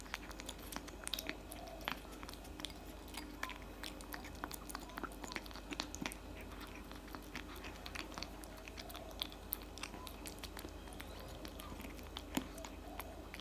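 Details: Loud eating from a tabby cat working through cat food, a steady dense stream of small crunches and chewing clicks close to the microphone in a quiet indoor room.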